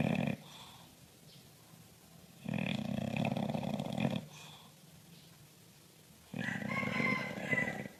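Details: Bulldog snoring: three loud rasping, broadband snores, each lasting one to two seconds, come roughly every three to four seconds with quiet pauses between, and the last one carries a faint whistling edge.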